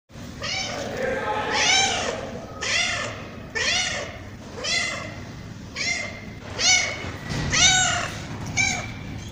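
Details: Tabby cat meowing repeatedly, about one call per second, each meow an arched, harmonic-rich cry rising then falling; the later calls come more sharply and closer together, over a low steady background hum.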